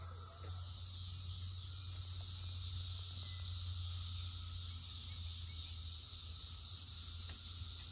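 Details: Dense 2021 chorus of red-eyed cicadas crowded on a single tree, part of millions on the property: an unbroken, piercing high hiss with a faint rapid pulsing and a low background hum.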